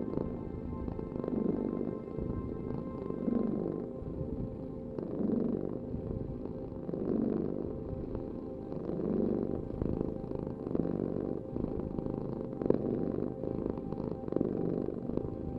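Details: Cat purring in slow rhythmic waves, each rumbling swell lasting about two seconds, with faint soft music underneath.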